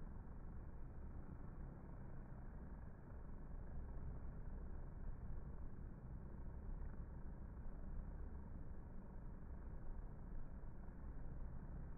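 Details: Steady low rumbling drone like an idling engine fills the whole stretch, with no animal voice.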